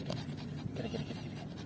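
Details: Yorkshire Terrier Lucy, a pet female, panting between games of fetch with a ball; soft, breathy puffs in a quick uneven rhythm, low and faint, with a quiet room hum beneath.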